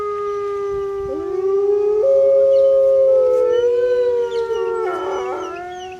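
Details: Grey wolves howling at Artis Zoo on 10 November 2013, captive pack, calling to communicate location to pack members and ward off rival packs; long, steady, tonal howls with overlapping voices stepping between pitches, recorded on a phone.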